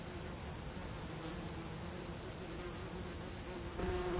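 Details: Common wasps droning around a nest under tree roots beside a woodland trail in late summer 2015. A continuous low buzz swells louder in the final half-second as an insect passes close.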